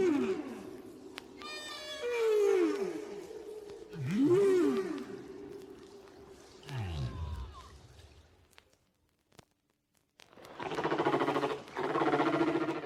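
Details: Humpback whale song taken five years after an earlier recording, from whales whose shared song changes week by week. Arching moans and falling swoops with harmonics give way to a deep descending groan, a brief silence, then a droning tonal sound.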